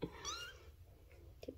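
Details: Soft, brief mew from a three-week-old Bengal kitten in Luna and Apollo's fall 2021 litter. It rises then falls quickly, framed by light handling clicks and murmured talk.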